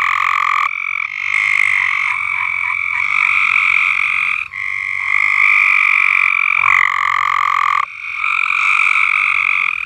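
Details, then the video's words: Frogs singing at Alderman Farms: long, steady, buzzy trills, each held for one to three seconds, overlapping one another with brief gaps and a sudden pitch drop near the seventh second. "Frogs Singing at AldermanFarms"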